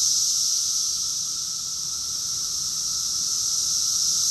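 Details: Cicada chorus recorded in June 2021 in Rockville, Maryland, USA: a dense, continuous high-pitched buzzing hiss with no breaks and a steady loudness, many insects blending into one unbroken wall of sound.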